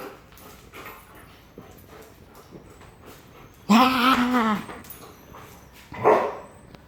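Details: Playful Belgian Malinois dog with zoomies: one long, harmonic, slightly wavering whine-bark lasting nearly a second, followed later by a shorter bark, over faint background rustle.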